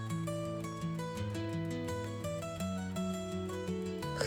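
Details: Steady plucked-string instrumental music plays, with no animal sounds. A melody steps between sustained notes over a low accompaniment throughout.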